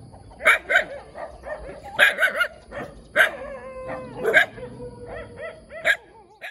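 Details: Cute little puppy barking eagerly: sharp, high-pitched yaps in short bursts, often paired, roughly every second, with drawn-out whining tones between the barks and a faint steady high whine in the background.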